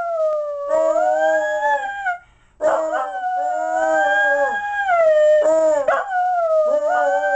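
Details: Mixed terrier dog howling happily over a Christmas present: long, sustained tonal howls with rich harmonics that swell, waver and slide down, in three drawn-out phrases broken by a brief pause.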